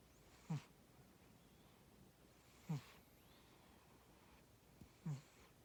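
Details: Tora the cat snoring during sleep, three short gravelly low snores roughly every two seconds, each trailing into a faint breathy hiss, quiet background.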